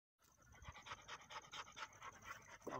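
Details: A pointer dog panting steadily, with breathy rhythmic bursts repeating about four times per second for nearly three seconds and a slightly louder breath near the end.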